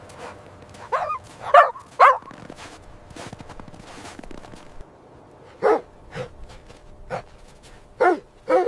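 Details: Puppies and their mother dog romping in fresh snow on a winter day, giving quick high yips in a cluster early on, then scattered single barks spaced about half a second to a second apart.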